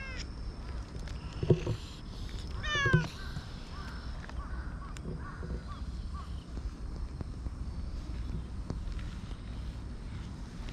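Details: Black-and-white hachiware stray cat met in the middle of a park path and petted at length; a single steeply rising meow about three seconds in, then soft background caws and steady low outdoor rumble.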